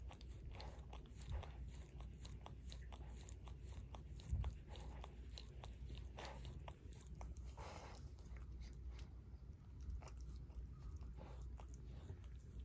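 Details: Barry, a Shorkie dog adopted two years ago, licking his paw indoors: a steady run of soft, wet smacking clicks over a low room hum, with one louder slurp midway.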